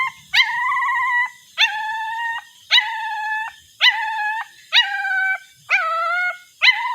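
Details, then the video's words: Puppy crying while searching for its mother: a series of sustained high whines, each starting with a sharp upward yelp and holding steady about a second, repeated roughly every second with brief gaps. "Sad Puppy Crying for Its Mother"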